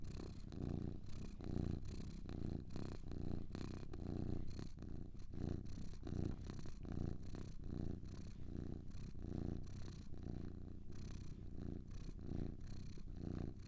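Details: Two domestic cats purring together, a deep throbbing rumble rising and falling roughly once a second as they breathe in and out, steady and soothing with no other sounds.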